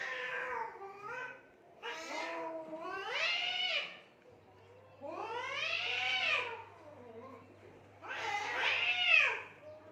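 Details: Fighting cats in Assam, India, beside mud and water, trading wavering, drawn-out yowls every two to three seconds, each rising and falling in pitch, with short quieter moans between them.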